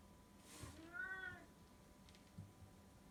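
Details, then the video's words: Brown tabby house cat meowing affectionately, recorded in 2018. A single soft, drawn-out meow rises and falls over about half a second in a quiet room, with a faint click before it. "おしゃべり猫の鳴き声/Talking cat"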